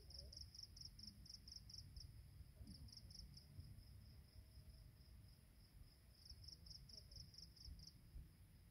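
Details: High pulsed insect chirps at dawn along a mountain path on Penang Hill, coming in bursts separated by quieter stretches, a thin hiss overhead and a dense low rumble of background noise beneath.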